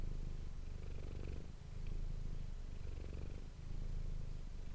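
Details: Close ASMR-microphone recording of the cat Manis purring: a rich, low vibrating drone pulsing in slow waves roughly every one and a half seconds as she breathes in and out.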